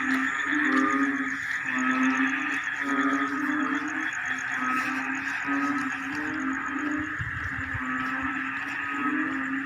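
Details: Frogs calling together like a choir in rice fields as the rainy season arrives: a dense, droning chorus with low notes repeated about once a second, a steady higher hum and a fine high pulsing trill over it.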